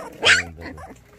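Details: A white Baekgu puppy, one of a litter offered for adoption in Cheongdo County, South Korea. Gives a single brief, sharp yip that rises quickly and fades within a fraction of a second, then quiet murmuring follows.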